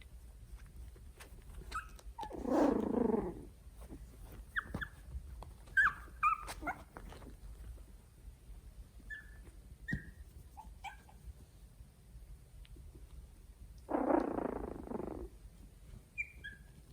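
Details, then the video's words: Italian Greyhound puppies, three weeks old, discovering their surroundings, recorded on a phone: short high squeaks and whimpers scattered through, with two louder breathy grunting bursts near three and fifteen seconds. "Cute puppies making funny noises Italian Greyhound (3 weeks old)"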